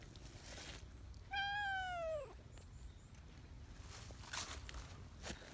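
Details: Friendly silver tabby community cat greeting with its cute voice before being petted: one clear drawn-out meow lasting about a second, level then sliding downward, with soft outdoor background noise after.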